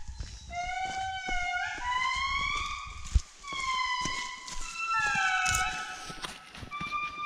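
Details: Indri family group singing in forest at Andasibe-Mantadia National Park, Madagascar, July 2019; high voices male, low voices female. Loud wailing tones glide up and down in overlapping long notes, several voices layered, with footsteps and a sharp knock.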